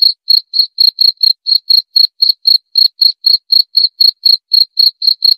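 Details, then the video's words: Cricket call made of high, clean pulses repeated about four times per second, slightly uneven in spacing, with a faint higher ring above each pulse and otherwise total quiet. "Suara Jangkrik"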